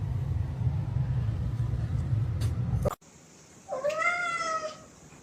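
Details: Domestic cat giving one drawn-out meow, about a second long, that dips then levels off; it follows an abrupt cut from a loud low rumbling noise, with faint background hiss.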